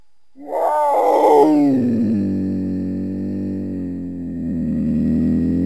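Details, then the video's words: Cougar, also called mountain lion: a harmonic call that starts with a rising, wavering yowl, then settles into a long, steady, low drawn-out tone that holds for several seconds. "The sound of a Mountain Lion(Cougar)"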